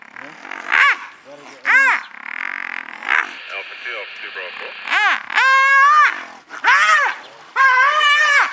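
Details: Brown hyenas fighting in Madikwe after one wandered into the wrong territory; shrill arched squeals and drawn-out wailing yells come in bursts, with a person speaking and a steady engine-like hum in between.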